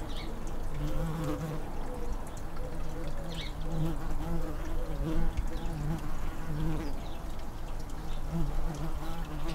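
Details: Tree bumblebees nesting in a garden nestbox once used by blue tits, with a fanning bee cooling the nest on a hot day; low continuous droning buzz, faint higher chirps from other sounds in the background.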